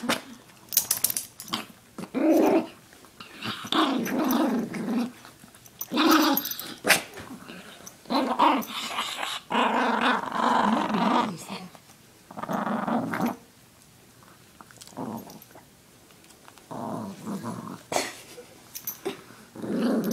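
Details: Male pet Chihuahua disturbed while relaxing indoors. Repeated rough, rasping growl bursts of one to two seconds, broken by short snarls and pauses, continue throughout, with a human voice in between.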